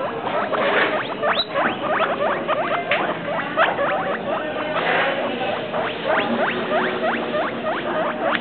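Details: Travis and Shane, two pet guinea pigs, keep up a running series of short swooping squeaks, clustered in quick runs with tiny gaps, against faint rustling.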